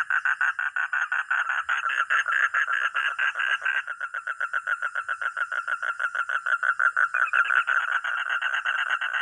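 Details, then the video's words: Frog or toad giving a continuous, fast rattling croak. The evenly spaced pulses run without pause and shift slightly in rhythm midway. A steady high-pitched whine sits in the background. "sound katak atau kodok || frog or toad"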